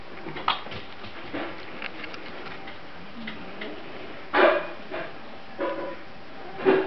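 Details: A litter of Grand Basset Griffon Vendéen pups, 15 May 2009, beginning to move about: scattered soft whines and brief yelps, the clearest two near the end, over faint shuffling and rustling.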